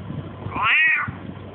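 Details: Domestic cat replying to its owner's questions in Russian: a single drawn-out meow that climbs and then slides down, about half a second long, against faint room hum and soft speech.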